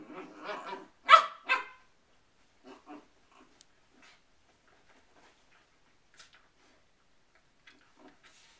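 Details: Poodles with cabin fever, stuck indoors: a burst of sharp, harmonic barks in the first two seconds, then scattered faint yips and clicks fading into near silence.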